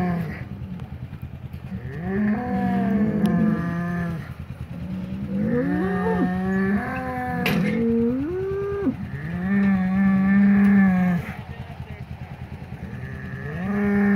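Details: Polled Hereford bulls of the Secret Weapon bloodline fighting as they are re-acquainted after the breeding season; repeated long, harmonic-rich bellows that rise and fall, several in sequence with short gaps.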